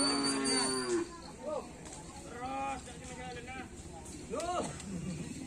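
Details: Karapan sapi racing bulls of team Griduh Onggu training at Asemanis field, Madura: a long, steady lowing moo opens, then shorter rising-falling bellows follow amid music and distant chatter.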